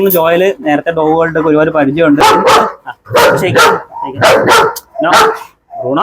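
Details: Leashed German Shepherd Bruno in Perumbavoor: a man talks for two seconds, then the dog breaks into a run of loud, rapid barks, some doubled, continuing for about three seconds with brief gaps.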